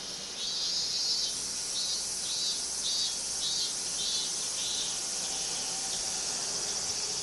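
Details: Cicadas in Minami-Magome, Tokyo, Japan, 8 August 1991: a loud high shrill drone that pulses in slow waves of intensity, steady throughout, with no other clear sounds.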